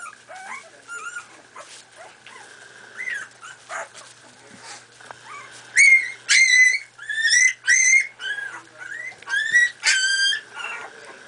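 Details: Playing Miniature Pinscher puppies at four and a half weeks old: soft scattered whimpers give way to a run of loud, clear, ringing yips about every half second, with a constant low electrical hum underneath.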